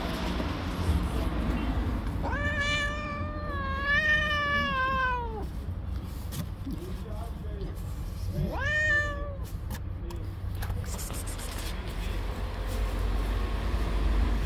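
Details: Furious stray tabby cat guarding her kittens after being touched: a long wavering yowl of about three seconds, a faint short sound, then a second shorter yowl, over steady low outdoor noise.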